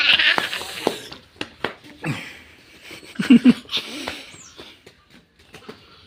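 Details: Domestic goat kept at a village home, nicknamed a 'hunter' goat, interacting with a young boy; short harmonic bleats break out amid people's chatter, laughter and handling noises.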